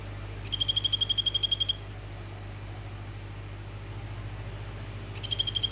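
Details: Orange Phyllobates vittatus male calling a female: a high, buzzy pulsed trill at a steady pitch, about a second long, then a quiet gap before another trill begins near the end, over a constant low electrical hum.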